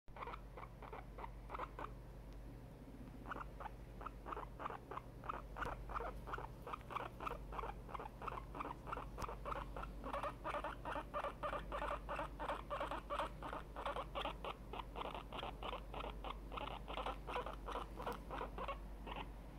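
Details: Tiny, a very excited pet guinea pig, squeaks indoors in rapid, steady bursts, about three short harmonic squeaks per second, building louder after the first few seconds and continuing without pause.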